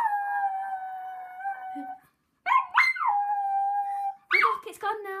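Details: Puppy howling and barking at a loud helicopter going by: a long level howl, then sharp yelping barks that slide down into another sustained howl, then more barks and a lower drawn-out note, with a person talking.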